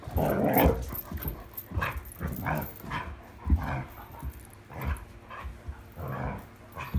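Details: At night on 26 July 2022, an Irish Setter plays with a new toy, giving a loud low growl at the start and shorter rumbling growls later, between heavy breaths and bumping play noises.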